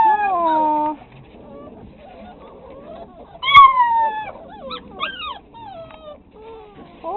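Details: Six-week-old pit bull puppies: a long falling whine opens, then brief silence and a burst of high, sliding yelps and whimpers, several overlapping, ending with another rising whine.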